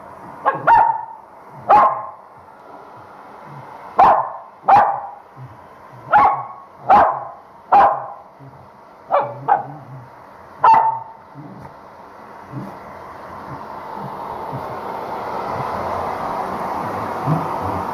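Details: Pet Corgi bitch being blow-dried at home after a shampoo she hates, barking in protest; about nine short barks in loose pairs over the first eleven seconds, then the hair dryer's rising whoosh dominates.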